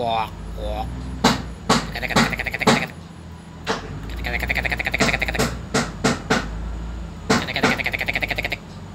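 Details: Green frog. A green frog calls in short, fast-pulsed rattling trains, each lasting under a second and repeated irregularly. Sharp clicking knocks fall between the calls over a low background hum.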